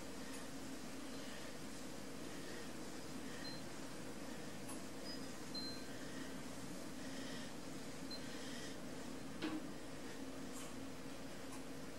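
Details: Quiet indoor room tone with a low steady hum and a few faint clicks, with no animal voices.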